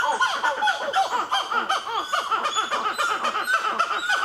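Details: Black-fronted titi monkeys at Nazare Paulista, Brazil, with a baby among them, calling loudly: a dense, continuous chorus of rapid, overlapping arched hooting notes that pump up and down without pause.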